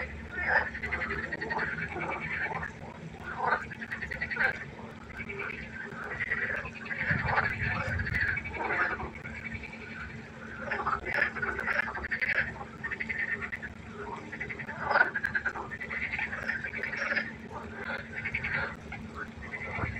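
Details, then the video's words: Continuous frog concert at night by a pond, many animals producing overlapping grating croaks and short pulsed calls, with a faint low hum and one brief low thump. "1 Stunde Froschkonzert. Frosch Geräusche quaken."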